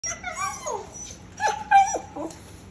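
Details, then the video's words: Keeshond "talking" with a quick string of whiny, yodel-like yips: a falling moan, then a held, level whine and a short dropping yelp, all within about three seconds. "A talking Keeshond!"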